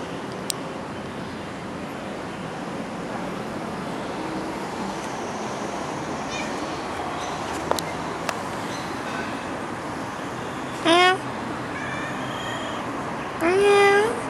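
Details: Playful stray cat, happy to follow along, gives two short meows near the end, the second longer and drawn out with a rising start, over a constant broadband rumble of street-like background noise.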